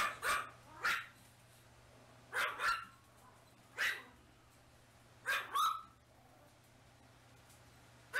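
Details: Black mini toy Chihuahua puppy offered for sale by breeders, May 2017, giving short sharp yapping barks in pairs and singles, roughly every one to one and a half seconds, against a steady low hum indoors.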